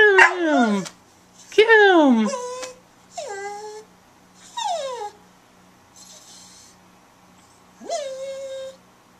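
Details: Female brown Border Collie mix, eight years old, in the Bahamas, vocalising on command in an unusual way: several drawn, sliding yowls that fall in pitch, some ending in a short flat tone, spaced by pauses, with a man speaking between them.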